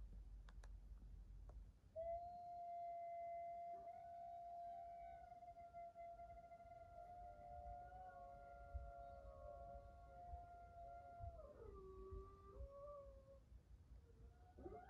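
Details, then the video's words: Janggun, a pet Maltese dog, howls in answer to its owner: one long, steady, slightly wavering tone held for about nine seconds, then a lower closing dip, over a faint low hum indoors. "강아지 말티즈 장군이는 늑대의 후예일까요?"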